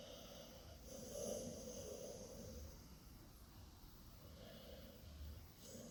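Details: A sleeping female dog making funny noises in her sleep: soft, low snoring breaths with snorting rasps, uneven in rhythm, swelling and fading over a few seconds, with faint background hiss.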